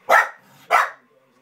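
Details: A Corgi watching a dog show fusses at the dogs on screen, giving two sharp, mid-pitched barks about half a second apart.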